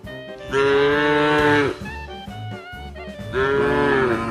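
A cow gives two long, drawn-out moos with a steady, brassy tone that sags at the end.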